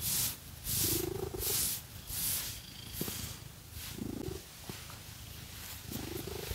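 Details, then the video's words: Cat being scratched with fake nails purrs quietly underneath, soft low rumbling with a few rising breath tones, while loud swishing scratch strokes dominate. "Scratchy Cat Massage | 🐈 Lots of Purring"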